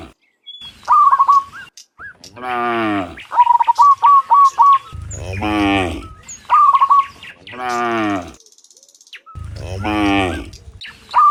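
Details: In the morning, cows heading back from the field to the barn give repeated long, deep, harmonic moos. Between them come clusters of short, high, evenly spaced chirps.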